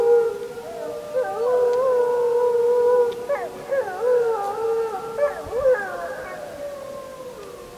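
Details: Wolves howling on the full-moon night of 31 July 2015, filmed with a JVC Everio camcorder: a sustained even howl overlapped by other howlers whose tones slide, break and waver in a group chorus.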